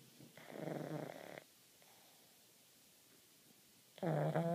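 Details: Pug snoring in its sleep with eyes open: a rough, buzzing snore lasting about one second, a long quiet pause, then another loud snore starting at the end.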